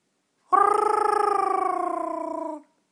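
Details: Yorkshire terrier singing along with its owner: a long, sustained, slightly wavering howl-like tone that slowly falls in pitch over about two seconds, with rich overtones, indoors.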